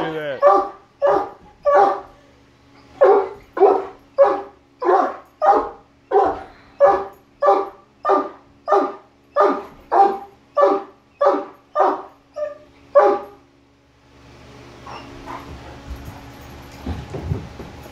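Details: Barking from a Great Dane among three males, set off by a Halloween mask: a long run of loud, evenly spaced barks near one per second, stopping partway through, followed by rustling and handling noise.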